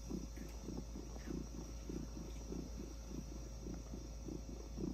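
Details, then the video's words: Orange tabby cat being petted on the head, purring quietly: a low, even rumble swelling and fading in regular pulses close together, with a steady faint hum behind. "Purring orange tabby cat"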